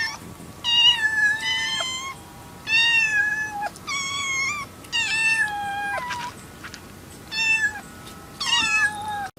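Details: Cat in a funny cats and kittens compilation gives a series of about seven short meows, each sliding downward in pitch, spaced by short pauses in a quiet room.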